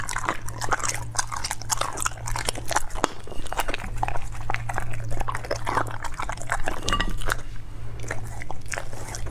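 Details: A dog eating raw foods, up close: steady wet crunching and biting, dense clicks and snaps of chewing repeated throughout, with a low constant hum underneath.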